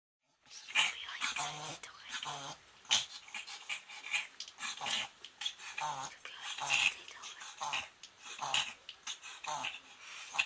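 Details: Pomeranian having a reverse sneeze for the first time, later treated at a vet: rapid, harsh snorting breaths repeated in quick irregular bursts, with people talking in the background.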